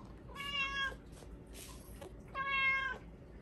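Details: Bengal cat named Hua, at home, begging for Japanese cod sticks at supper time: two clear, even meows about two seconds apart, each held nearly half a second, over a quiet room with faint rustling between them.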